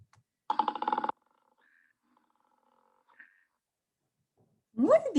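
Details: A koala (Phascolarctos cinereus) gives a brief, harsh, pulsing bellow with a rough, snoring rasp, an unexpected sound likened to a pig or piglet, followed by a voice.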